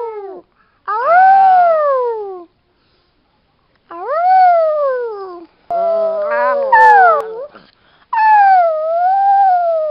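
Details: A female Chihuahua kept alongside a Doberman gives a series of drawn-out, high, tuneful howls that swell upward and droop at the end. The howls come in one-to-two-second bursts with short pauses, some wobbling in pitch.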